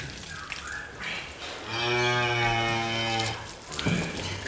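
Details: An Angus bull described as Indonesia's biggest gives a single steady, deep moo of about one and a half seconds. Quieter rustling, clanking and a brief splash of water come before and after it.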